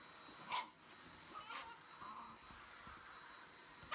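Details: Shiba Inu fighting a running vacuum cleaner indoors, showing fierce hostility toward it; three short, sharp barking yips about half a second to one second apart, over the steady whine and hum of the vacuum.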